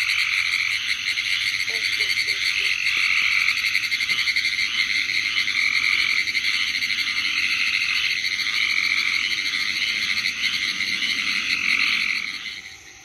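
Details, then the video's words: Pine woods tree frogs (Hyla femoralis) of the southeastern United States call in a dense chorus of rapid, clicking, Morse-code-like rattles. "Pine Woods Tree Frog - Hyla femoralis - Calling"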